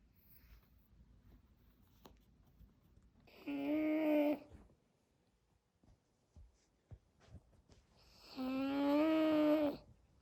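A Pekingese snores in two long, droning, buzzy breaths with a steady nasal tone.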